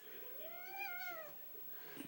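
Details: Indoor domestic cat letting out a single smooth, arching meow that swells and fades over about a second, with faint room noise around it.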